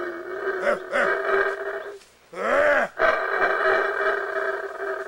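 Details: Wild black howler monkeys close by in Belize's Baboon Sanctuary: short arched grunts lead into a loud, rasping roar with a brief pause, then a long sustained howl.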